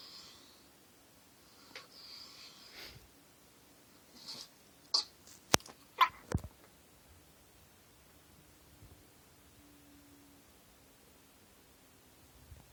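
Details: Charleston, a bulldog puppy, with early morning hiccups and yawns: a few soft breathy sounds, then a quick burst of four sharp, clicky hiccups around the five to six second mark, followed by quiet room tone.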